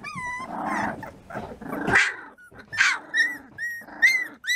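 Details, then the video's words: Three-week-old American Bulldog puppies mixing rough, throaty growls with high, rising whines, the noisy growling and clear squeals alternating and overlapping throughout. "Puppies American Bulldog"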